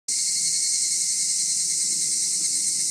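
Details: Insects chorusing in Higashi-Fukai district park by the Nagareyama City Forest Library, Japan: a dense, continuous high shimmering trill that never pauses, with a steady thin tone running underneath.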